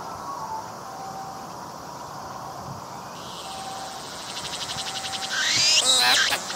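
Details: Cicada on a tree, recorded up close while singing: a faint steady background hum gives way to a rapidly pulsing buzz that swells and rises, ending in a loud rasping burst.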